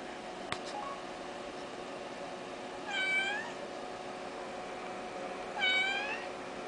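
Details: Four-month-old pet kitten indoors, looking around and meowing: two clear, tonal meows with rich harmonics, each under a second, spaced about three seconds apart, over a steady low room hum and a click near the start.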